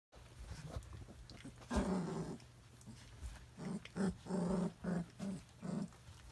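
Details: Three-week-old Briard puppies give short, low grumbling growls: one longer rough burst early on, then about six brief bursts in quick succession over a steady low hum.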